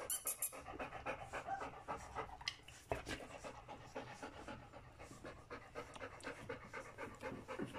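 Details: Panting from Folie and Mayley's three-week-old puppies: rapid, airy huffs repeated about four times a second, uneven in strength, with a brief high squeak at the start and a thump near the middle.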